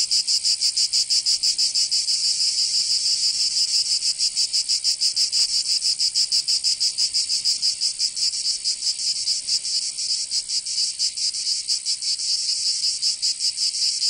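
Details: Provence cicadas in summer, southern France, producing a continuous high, metallic buzz of fast, tightly packed pulses that stay steady throughout, with one brief soft click partway through.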